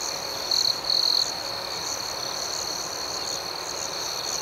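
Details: Night cricket chorus: a steady high trill with regular soft pulses, and two brief louder trills from a nearer insect in the first seconds.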